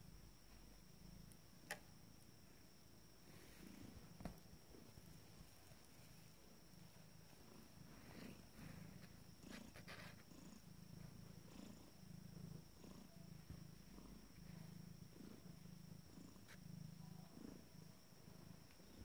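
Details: Fourteen-day-old Abyssinian kittens of a first litter at rest; a faint, continuous low purr pulses evenly, with occasional small rustles and clicks in a quiet room.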